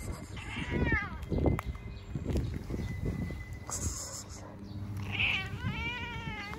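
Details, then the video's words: Hungry stray cats meowing constantly. Two clear, drawn-out meows with a rising-then-falling pitch, one near the start and one at the end, over steady low rumbling background noise and some faint clatter. "Stray Cat Meowing all the time because very hungry"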